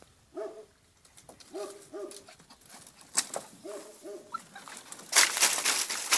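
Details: Female Podenco puppy, two months old, in a paddock whines in short arched whimpers, mostly in pairs, with pauses between; a loud noisy rustle takes over near the end.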